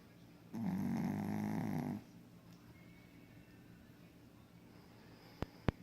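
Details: Sleeping Pekingese snoring: one long rasping snore of about one and a half seconds with a low rattling buzz, then quiet room, ending with two sharp clicks.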